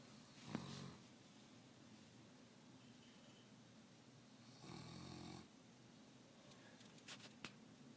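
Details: Snoring Saint Bernard puppy indoors gives two rough, low, gravelly snores about four seconds apart, followed by a few sharp clicks and taps near the end.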